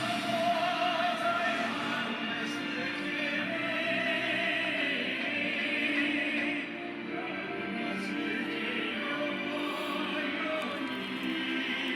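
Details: Operatic choral singing fills the recording throughout, with no animal voice heard.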